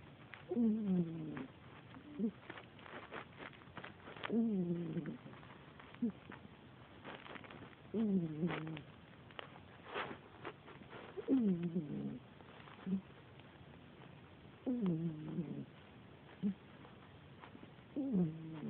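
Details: Domestic cat snoring while asleep indoors: soft, low, throaty snores with a slight falling catch, returning about every three to four seconds over a quiet hiss, with a few faint clicks between breaths.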